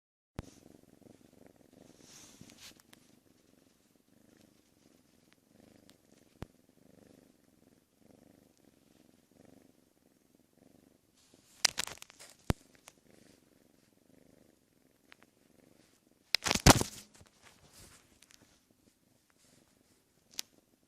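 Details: A six-month-old female cat indoors purrs softly and steadily, a low pulsing rumble that fades after about ten seconds; sharp clicks and handling noises break in around twelve and seventeen seconds.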